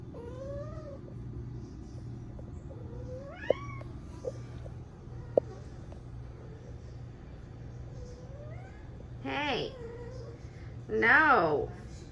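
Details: Female cat in heat calling with a series of rising, drawn-out meows that grow louder and more urgent near the end, over a constant low electrical hum with a few clicks.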